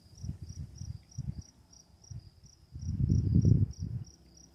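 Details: Crickets at night with running water: a steady train of short, high chirps, about three per second, over low rumbling bursts of water.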